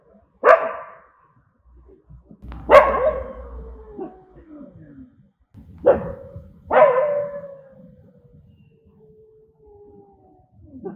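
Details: Angry dogs barking: four loud, harsh barks in two pairs, each with a falling tail, separated by pauses, with faint low rumbling between them.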